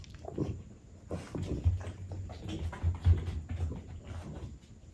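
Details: French bulldog eating baked sweet potato, giving low, rough snorts and snuffling grunts in irregular bursts, loudest near the second and third seconds, over a faint steady background hum.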